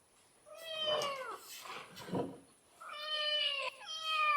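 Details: Domestic cat giving two drawn-out meows, the first slightly falling, separated by a soft noisy breathy sound, the second steadier and longer.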